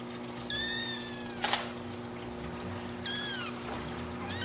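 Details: Two baby Singapura kitten siblings, born on 25 December, toddling about and exploring together; two clear high meows, each sliding downward, separated by about two and a half seconds, with a brief rustle between them.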